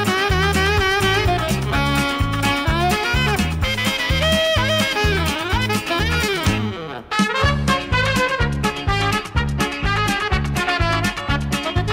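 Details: Lively swing-style music with brass and a steady driving beat plays throughout; no animal sound is heard.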